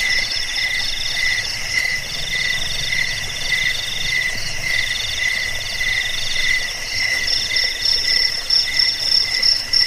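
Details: Continuous shrill trilling from several crickets. High buzzy pulses run in overlapping bands, and the topmost voice grows stronger toward the end.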